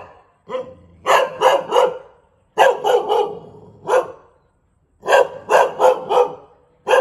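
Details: Bangkaew dog from Thailand giving loud, clipped barks in clusters of three or four, each cluster separated by roughly a second of quiet, with a final bark cut off at the end.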